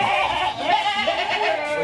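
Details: Goats on a farm in Indonesia with 25 animals kept for fattening and breeding, calling loudly and persistently around feeding time; strained, wavering bleats overlap through the clip with a faint voice and a muffled microphone.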